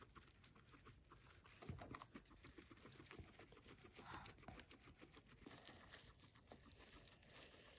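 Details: Indoors, a guinea pig named Max crunches fresh grass: dense, crackly chewing like crinkled paper, quick bites following one another without a break.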